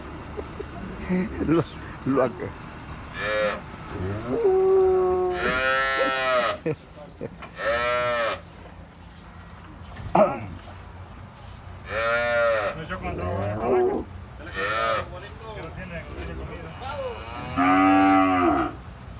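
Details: First-calf dairy cows with good milk production, recorded Thursday 4 April 2024, giving a series of loud, drawn-out harmonic moos, some rising then falling, spaced every few seconds, with brief human voices between calls.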